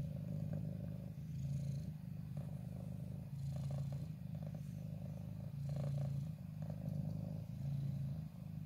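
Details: Wongfield, a ginger cat, purring while close to the camera in its preferred corner: a deep, rhythmic rumble with swelling and easing breaths, occasional faint rustling and handling noises.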